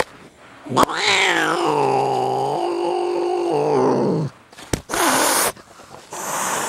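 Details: Pet cat Jinxie, pulled out from under a chair, lets loose a loud sustained yowl, sharply rising then held and wavering for about three seconds before breaking off, followed by scraping and rustling.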